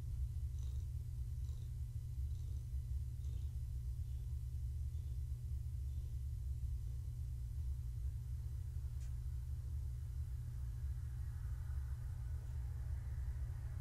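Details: Long-haired tabby Gaia, heavily pregnant with kittens, gives an unbroken deep purr during evening petting. The low drone stays even throughout, with only faint light taps above it.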